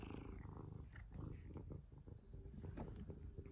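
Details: Pet cat purring indoors while being played with; a dense, low, rough purr with rhythmic surges and scattered clicks from handling.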